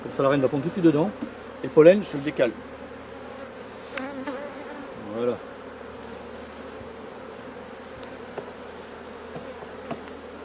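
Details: A continuous droning hum of honey bees at drone-laying colonies being replaced. Brief human speech opens the recording, then the bees' even buzz carries on alone with a few faint knocks.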